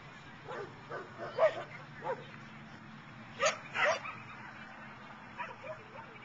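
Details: Dogs at an outdoor agility trial at the Boone County Fairgrounds in Belvidere, June 2010: a few short barks in two small bursts, one pair louder near the middle, with people talking in the background.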